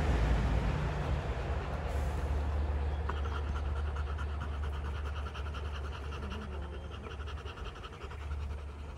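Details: Rottweilers after fighting, day 59. Rapid panting becomes clear after about three seconds as regular breathy pulses, while a strong low rumble dominates throughout.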